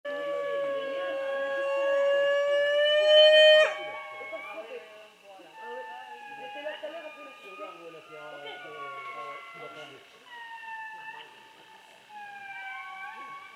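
An indri gives a long, loud, siren-like wail, then a run of shorter descending wailing notes.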